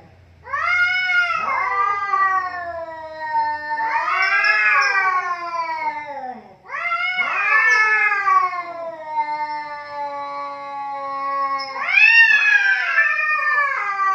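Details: Two cats squaring off in a vocal duel: repeated loud yowls every few seconds, each rising into a wavering peak and sliding down into a drawn-out moan, with a faint low hum at the start.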